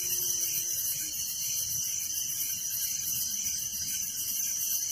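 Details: Night chorus of crickets in a village, an unbroken shrill, shimmering trill that throbs in fast even pulses, with nothing else heard over it.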